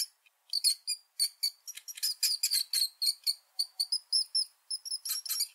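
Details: Rat. A rat squeaks over and over in short, shrill chirps that come in quick bursts. Some notes rise or waver slightly, and the run stays high and sharp with almost no low sound.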